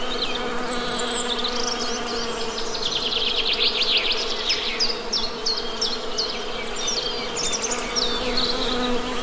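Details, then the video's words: Western honey bees humming in a low, steady drone with a constant pitch, while small birds chirp and twitter rapidly in quick high bursts above the hum throughout. "Best Honey Bee Sound!"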